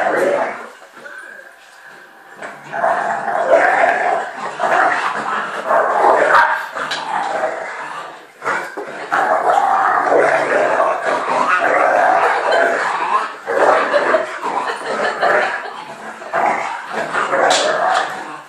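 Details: American Bulldog Fudge, a three-year-old female, playing at home with Patch, her new puppy companion: nearly continuous rough, noisy growling and snarling with short breaks, rising and falling in loudness throughout.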